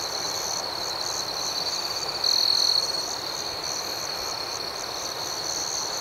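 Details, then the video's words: Crickets at night: a steady, high-pitched trilling chorus runs throughout, with one louder, sharper trill rising above it for about half a second near the middle. "Soothing Cricket Sounds"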